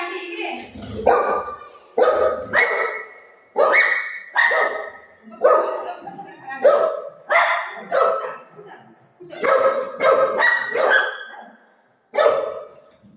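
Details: Golden retriever Buzo, playing with his mum and seeming to announce that an aunty has come so the door should be opened, barks about a dozen times, each bark loud, harmonic and roughly a second apart.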